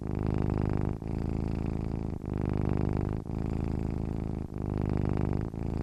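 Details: Cat purring in its sleep, a low vibrating hum in steady rhythmic bursts of just over a second, separated by brief dips as the breath turns.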